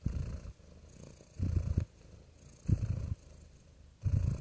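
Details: Real cat purring in a low, throaty rumble that comes in rhythmic surges about every one and a half seconds, softer murmuring between the stronger pulses.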